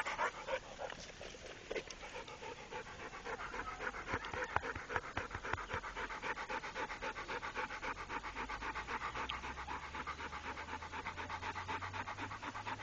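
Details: Loud, fast panting from Rako, a trained Pit Bull: dense breathy puffs about four a second, keeping an even beat throughout, with a low hum in the background.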